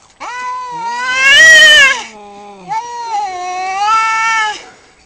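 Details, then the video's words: Fighting cat lets out two long, loud wailing yowls separated by a short pause. The first swells and wavers in pitch. The second is steadier and gradually fades. "Cat fights extreme nature"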